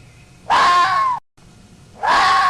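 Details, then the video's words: A fox screams twice in quick succession: raspy, strained wails about seven-tenths of a second long, the second beginning after a brief silent gap and running to the end. "O VERDADEIRO SOM DA RAPOSA"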